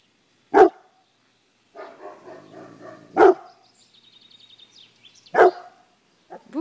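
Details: Pet guard dog barking three times, sharp loud single barks spaced about two seconds apart, with softer rustling and a faint whining sound between them.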